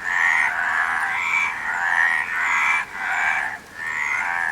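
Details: A chorus of frogs, their raspy, nasal croaks running together in long overlapping bursts, with a short quieter gap near the end before the calling swells again.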